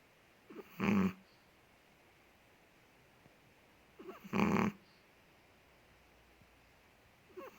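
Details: Ted, a big Chihuahua in Indonesia, snoring in his sleep: two harsh buzzing snores about three and a half seconds apart, each introduced by a soft whistling breath, with near silence between them.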